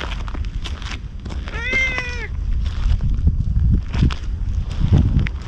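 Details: Ginger tabby stray cat coming up to a man as if seeking protection. One short, clear meow rises slightly and then falls, amid heavy low rumbling and scuffing noise from the surroundings.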